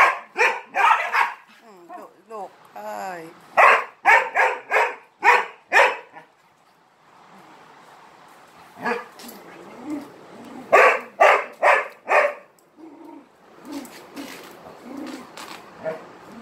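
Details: Dog barking insistently for attention while playing with three Malinois, sharp barks in rapid bursts of four to six, pausing then resuming, with a brief whining vocal stretch early and a person's voice between.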